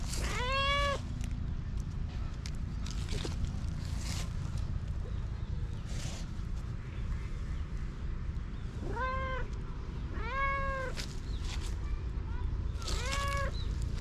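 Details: Stray cat once abused, now warming to people again in Japan, uttering a few short rising-then-falling meows spaced several seconds apart over constant low outdoor rumble and faint clicks.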